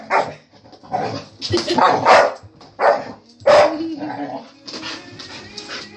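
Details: Pet dog barking at a vacuum cleaner, giving a rapid series of loud, coarse barks in uneven clusters, then a sustained tonal whine, with music and some speech in the background.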